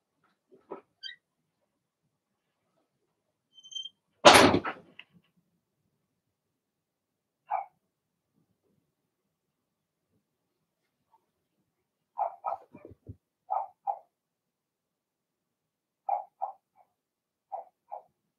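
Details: Young Blenheim Cavalier King Charles Spaniel puppies in a home puppy pen bark in short yips, mostly in pairs and trios, with a loud thump like a door midway and soft knocking sounds.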